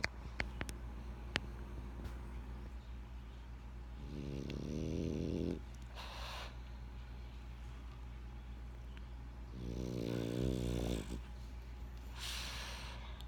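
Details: Benjamin, a French Bulldog, snores in two drawn-out rasping inhalations roughly six seconds apart, each trailed by a soft airy exhale, over a quiet constant low background hum.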